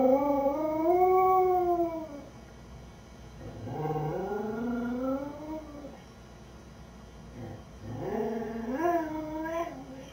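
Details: Lucy the beagle mix, alone at home, howls in a wavering series: an arched howl, then a lower sliding one that climbs and falls, and a final rising note.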